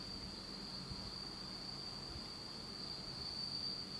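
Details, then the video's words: Insects singing on an autumn night in Japan, in total darkness: a steady high continuous trill holding one pitch throughout, with a faint low rumble beneath. "真っ暗闇の秋の虫の声 Beautiful sound of insects in the fall of Japan in total darkness."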